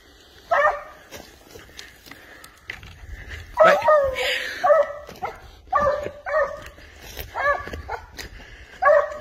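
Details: Spanish hound baying while trailing wild boar, harmonic barks spaced irregularly, mixed with rustling and a brief noisy burst mid-clip.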